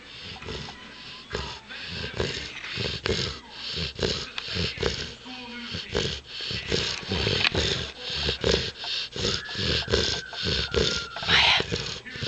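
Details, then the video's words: Mya, a six-month-old Saint Bernard puppy, snores loudly in a deep nasal nap. Rough, rattling snorts pulse roughly once a second with uneven strength. Faint voices and other background sounds run underneath. "Saint Bernard Puppy Snores Like a Harley"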